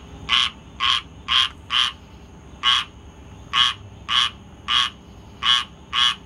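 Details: Squirrel tree frog calling on August 19th, 2022: a series of short raspy, buzzy croaks repeated roughly twice a second with brief irregular pauses, each note rich and nasal over a faint steady background hum.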